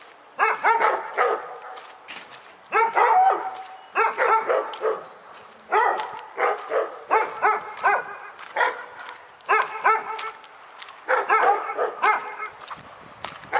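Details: Dog at Pyrga barking relentlessly, a barking nightmare: grouped bursts of ringing, harmonic barks spaced a second or two apart, continuing through the whole stretch with short pauses.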